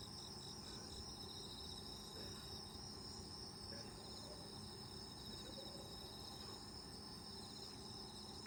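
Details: Autumn insect voices drifting into an open lodge tent at a rural campsite: unbroken high-pitched trilling with rhythmic pulsing chirps, a soft low hum beneath, and a sharp click at the very end.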